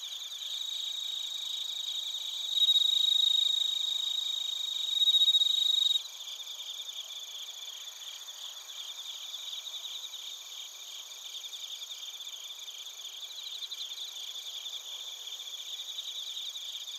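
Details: Recorded in Narita, Chiba, Japan, with a TASCAM Portacapture X8, bell crickets and crickets chirp together: two louder ringing tones stand out early over fast pulsed chirping, then a softer, steady trilling chorus continues.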